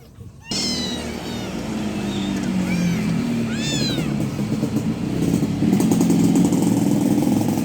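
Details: Kitten giving a few short, arched meows in the first four seconds, then drowned out by a loud, rising engine-like rumble.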